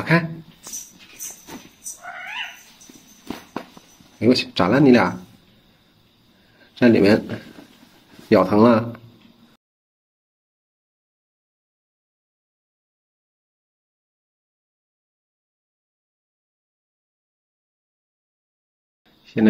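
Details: Several pet cats playing with their owner in the middle of the night: a few short, loud wavering meows and yowls mixed with speech in the first nine seconds, then near silence until a brief sound at the end.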